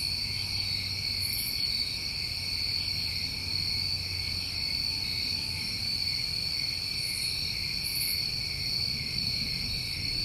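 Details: Crickets of a New England summer night keep up a constant high-pitched trill in layered bands, occasional faint higher chirps, and a low hum in the background.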